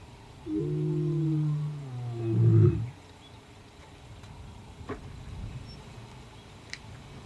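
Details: White male lion answering roars from a rival coalition of five or six young males in the southwest of his territory; one long, deep, harmonic moan swelling into a louder grunting finish, then quiet with faint clicks.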